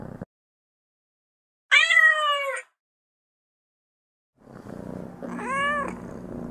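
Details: In-heat cat producing a short, loud, strained yowl, then after a silence a rising-and-falling meow heard over low rumbling background noise.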